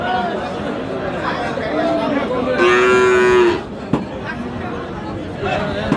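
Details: Cattle at Aftabganj livestock market in Dinajpur, Bangladesh, where Friesian heifer calves are sold, 10 March: a single steady, harmonic moo lasting about a second, set against continuous crowd chatter and market bustle.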